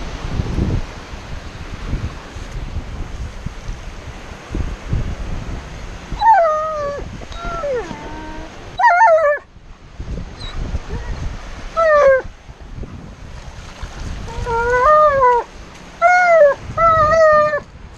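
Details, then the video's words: Tonka, an Alaskan Malamute, sits still at the beach and protests with a series of high, wavering whines and short howls, bursts rising and falling in pitch with gaps between, over low surf and wind noise. "Tonka the Alaskan Malamute Reacts to sitting still at the Beach"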